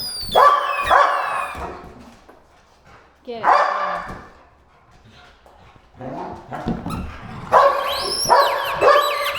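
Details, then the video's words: Play session with household dogs, three pit bulls and a malinois: scattered loud barks in small clusters separated by quieter stretches, a final run of barks near the end, and a person talking to the dogs in between. "Warning: Barking and Squeaking Sounds!"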